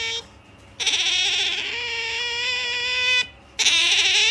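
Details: A drowsy female otter, MaiJi, gives a pampered whine before sleep: one long, steady, harmonic squeal of about two and a half seconds, then a pause and the start of another squeal.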